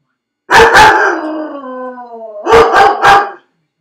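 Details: Felix, a dog left alone in his crate, two quick barks then a sliding howl that falls in pitch and fades, followed by three more sharp barks; nothing else audible.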